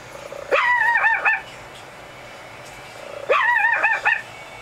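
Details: A curious little female Pekingese gives two high, wavering whines, each under a second long and a few seconds apart.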